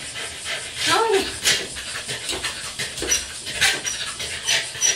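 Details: A tiny male Corgi, left outside after failing to jump a fence to reach his toys, gives a short rising whine, then rapid breathy panting bursts. Faint voices can be heard.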